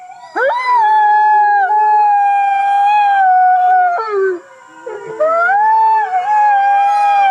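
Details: Series of Arctic fox cries: sliding, rising howls with strong harmonics, each held one to three seconds and separated by short breaks and wavering pitch drops, with no other sounds heard.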